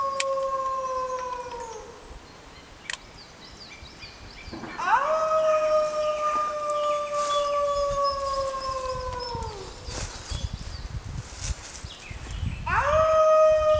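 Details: Six Arctic wolves in a group howling concert: a long, smooth, sliding howl fades out, then after a pause rises into a sustained steady howl several seconds long, with a third howl starting at the end.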